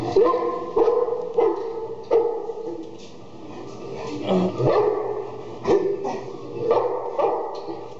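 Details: A Golden Retriever settling down a Labrador; repeated gruff barks and woofs every second or so, with grumbling growls between them and a brief human voice in the middle.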